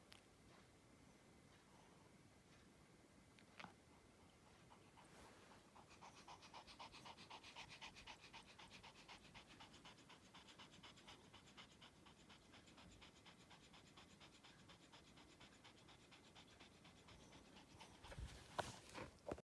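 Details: Sleeping Spitz dog snoring softly: quick, rhythmic, raspy breathing pulses, nearly three per second, swell from faint to steady through the middle and keep on, ending in a few louder knocks and rustles.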